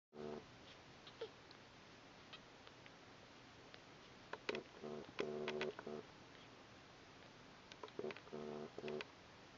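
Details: Red toy poodle puppies indoors at a kennel, giving short, faint, harmonic yips and squeaks in quick clusters of several notes, separated by quiet pauses, with a few soft clicks in between.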